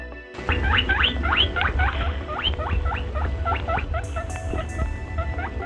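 A rabbit utters a fast series of sharp, high squeals that bend up and down in pitch, roughly four per second. A steady low rumble and faint music sit underneath the calls.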